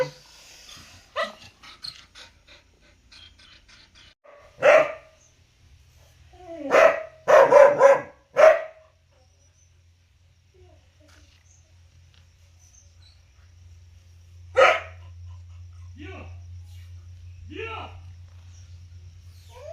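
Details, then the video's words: Dog barking loudly: sharp, harsh single barks, then a tight burst of four or five rapid barks, a lone bark after a long pause and a few softer yips near the end, over a steady low hum. "main kutta bhuk raha hai|dog barking loudly sound effect"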